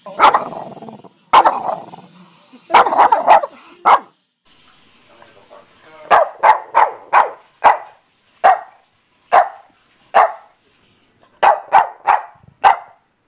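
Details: Boston Terrier barking: sharp, mid-pitched barks in quick bursts, first three clustered loud barks, a short quiet pause with faint low murmuring, then a steady run of single and paired barks roughly every half second.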